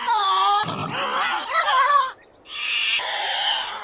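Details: Tasmanian devil vocalising with a wavering, whining growl that turns into a rough screech, a short pause, then another hoarse, noisy scream.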